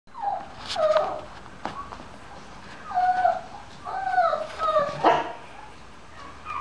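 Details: Two-week-old blue French Bulldog puppies from a litter of three males and two females, giving thin, squeaky whimpering cries in short, wavering bursts that are repeated irregularly over several seconds, with soft rustling between the cries.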